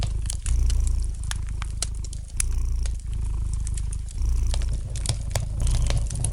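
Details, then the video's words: Gentle cat purr by a crackling fire: a deep, even rumble pulsing in breath-length waves of roughly a second or more, with bright intermittent pops from burning wood. "Relax to the gentle purring of the cat and the light crackling of the fire in the fireplace!"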